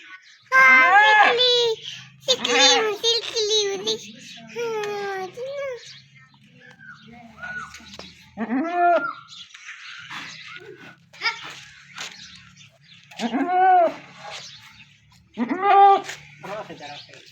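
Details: Goat kidding, the birth of a baby goat: short arched bleats recur through the clip between stretches of human chatter and giggling indoors.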